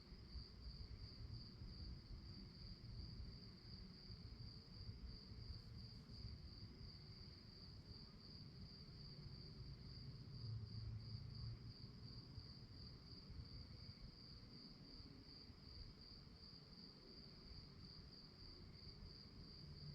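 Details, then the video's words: An unbroken, evenly beating high trill of crickets chirping at night, with a low rumbling background that swells briefly midway. "relaxing sounds of crickets"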